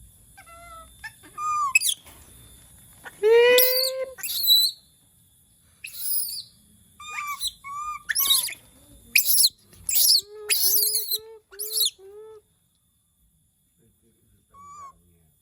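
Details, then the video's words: A monkey that reportedly calls when it misses people gives repeated piercing squeals and rising whistled cries, some in quick runs of four or five short notes, with pauses between bursts and a faint steady electronic whine behind. "the sound of monkeys when they miss humans/suara monyet ketika lagi kangen manusia"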